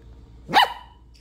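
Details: Dog giving a single short, sharp bark that rises and falls quickly, with a faint clink just after in a quiet room.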